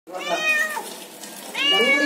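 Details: A friendly cat arriving as an unexpected guest gives two meows, the first falling and the second a brighter rising-then-falling mew, with a short quiet gap between them.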